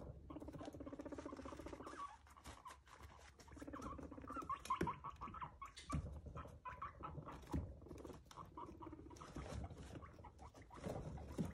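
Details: Pet guinea pig kept indoors; low buzzy purring rumbles come in bursts of a second or two, mixed with scuffling patter and rustling.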